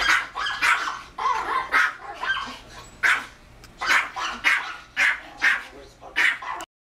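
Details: Pomeranian dog indoors barking at a screen showing another barking Pomeranian, giving a rapid, uneven run of about a dozen high, sharp yaps in under seven seconds, with faint voices underneath.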